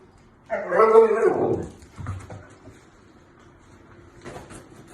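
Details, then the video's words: Talkative pet male Siberian Husky in the United States voicing his opinion about going outside: one loud, drawn-out, harmonic howl-like moan that slides downward for about a second, followed by a softer grumble and quiet room noise. "Husky loves to speak his mind."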